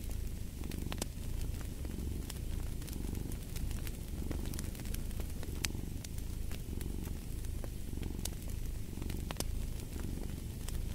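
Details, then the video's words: Continuous low purring of a cat, its rumble rising and falling with each breath about once a second, set against a crackling fireplace with frequent snapping pops. "Fall asleep to the Purring of a Cat & Fireplace"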